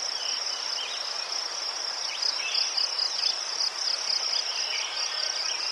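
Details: Steady high-pitched cricket trilling from Ukraine, chrysanthemums nearby, the pulsed band swelling slightly louder midway, while faint short chirps dip and rise below it.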